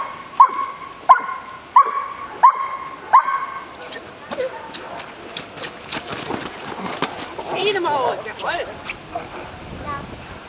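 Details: Giant Schnauzer dog giving five evenly spaced, high, nasal whining yips in the first few seconds, followed by jumbled rustling, soft murmuring and fainter whimpers.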